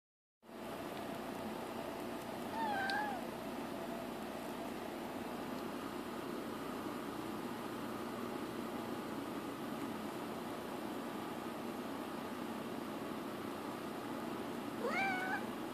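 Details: Young female kitten indoors meowing as she sits up and looks around a room: two short, bent, slightly wavering meows about twelve seconds apart, over a steady background hum.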